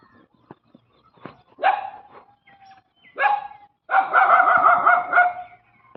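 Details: Street dogs barking in two short outbursts, then a longer harsh, rolling bark-growl lasting over a second, with scattered faint yaps before.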